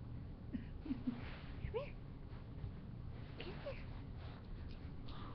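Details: Bubba, an eight-week-old Great Pyrenees puppy, gives a string of short, high squeaky whimpers, some rising sharply, scattered over a few seconds against a steady low hum and faint murmured voices.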